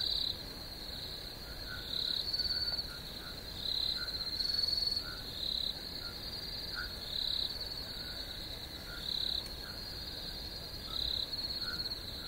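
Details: A chorus of chirping crickets. A continuous high buzzing trill carries brief louder pulsed phrases that come irregularly, about every one to two seconds, over soft, low, scattered chirps.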